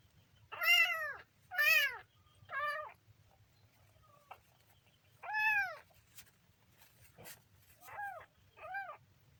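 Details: Kitten calling with arched meows in small groups: three loud ones early, one mid-way, then two softer ones near the end, over a steady low hum with a few clicks between calls.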